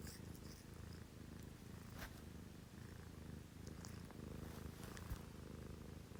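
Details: Early-morning purring from a house cat at 6 a.m., indoors with two sister cats, a Scottish Fold and a Munchkin; a continuous deep, pulsing rumble runs throughout, with faint clicks and light rustling above it.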